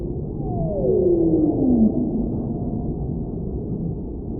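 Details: Whale song with one long, clear descending wail lasting more than a second, sliding steadily from higher to low pitch, then giving way to continuous deep underwater rumble and hiss.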